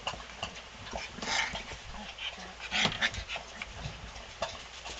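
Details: Eight four-week-old puppies of Malina romp in their whelping box after playing outside; brief high whimpers and yips break through amid constant scratching of paws, thumps and scuffling.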